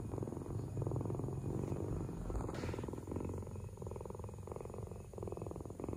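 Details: A cat purrs steadily, a deep buzzing rumble that swells and eases with each breath, breaking into cycles of roughly one to two seconds, over a faint steady electrical hum.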